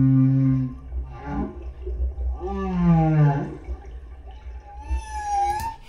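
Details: A solo humpback whale at the Silver Bank, Dominican Republic, recorded on a GoPro in 2015, sings deep, harmonic moans, then upswept groans and a thin rising whistle.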